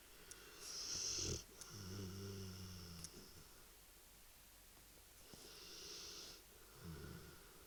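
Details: A sleeping dog snoring: a loud rasping breath, then a long low buzzing snore for over a second, a pause, and another breath with a shorter buzzy snore near the end, with faint hissing between.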